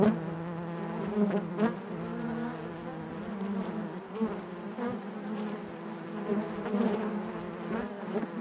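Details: Honey bees humming within the hive: a constant low drone overlaid by many overlapping buzzes that swell and fade irregularly throughout.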